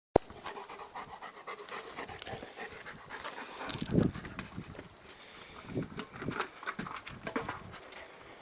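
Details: A Rottweiler playing with his favourite toy, a tyre, pants heavily with breathy rhythmic huffs and a few soft thumps.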